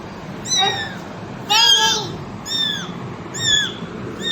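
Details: Cat mother with kittens: five piercing mews in about four seconds, one longer and louder, each bending downward in pitch, with low steady background hiss.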